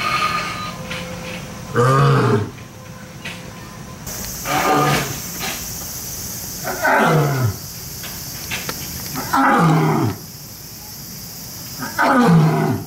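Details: Roaring from a lion or tiger in Kyoto City Zoo: about five rough, descending bellows spaced two to three seconds apart. Some are weaker than others, over a constant high-pitched background hiss.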